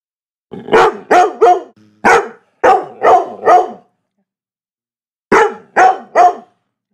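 A Labrador Retriever barks in loud, deep bursts, usually three at a time.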